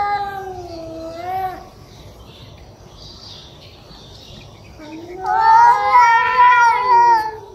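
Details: Angry cats caught live growling at each other: a wavering yowl trails off, several seconds of near quiet follow, then a louder, rising, quavering howl builds and holds.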